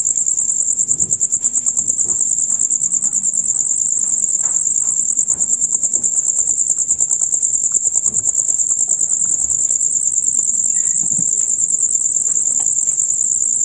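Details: Male crickets in a loud nighttime chorus heard from dusk until dawn, a dense, rapid, high-pitched chirping pulsing steadily about three times per second without a break, with faint low background murmurs.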